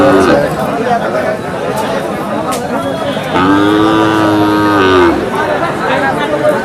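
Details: Bull offered for sale at a cattle market in Bangladesh, September 2025: one sustained moo lasting nearly two seconds, steady then falling at the end, over a man's continuous speech and crowd chatter.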